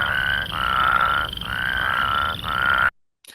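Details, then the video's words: Plains Spadefoot of grassland areas in southern Alberta, Saskatchewan and Manitoba, breeding in shallow wetlands; a whirring call. Repeated long buzzy trills, about four in three seconds, each steady in pitch with short breaks, ending abruptly. "So, I'll play that again. That kind of woring noise."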